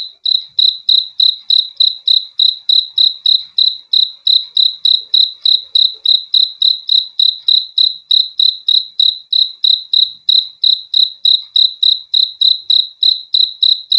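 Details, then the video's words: Steady cricket chirping, offered as a relaxing sound for sleep: bright, high pulsed chirps repeated roughly three times a second without a break, evenly spaced, with a quiet background. "BEAUTIFUL SOUND OF CRICKETS"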